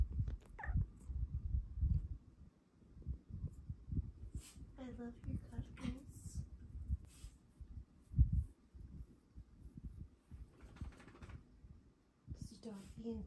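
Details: A female Bengal cat, the lighter-coloured one, makes unusual brief, tonal meows and chirrups, some rising then falling, a few seconds apart, while cuddling in the morning. A low steady rumble runs underneath, with a woman speaking gently between calls.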